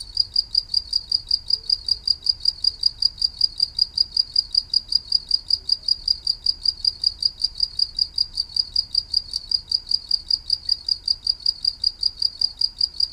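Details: Cricket sound from a green insect known locally as maeng tao thong: a long train of sharp, high, ringing pulses repeated evenly, roughly four a second, over a quiet low background hum.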